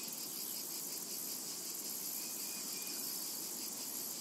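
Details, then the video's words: Summer meadow cicada chorus, an unbroken shrill sizzling wash of sound at high pitch, even in loudness throughout, with a couple of thin faint whistles briefly rising above it. "Summertime and Cicada Ambience"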